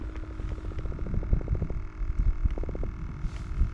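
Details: A small Atlantic croaker, just caught on a kayak fishing trip in a southeast Louisiana bayou where fresh and salt water mix, gives rapid, low, throbbing pulses, a grunting drumroll that gives the fish its name, before being released.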